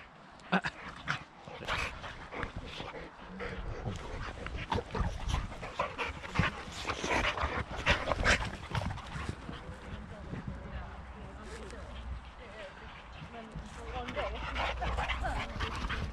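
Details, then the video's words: Boxer Rex, a Swedish male born in 2015 who lives outside Landskrona in southern Sweden, plays with his girlfriend Tuva on a playdate: rough, breathy panting, snorts and scuffling bursts throughout, with a human voice now and then. "Boxer Dog Play 101"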